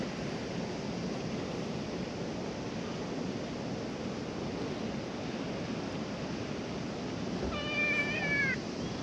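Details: Stray cat at a ferry landing where ferries are not running, coming to be stroked; a single drawn-out harmonic meow near the end, rising then falling, set against loud steady wind and surf.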